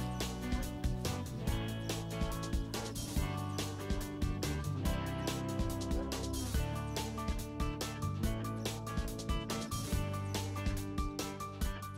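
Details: Steady rhythmic music with a regular beat and sustained tones throughout, no animal voice heard.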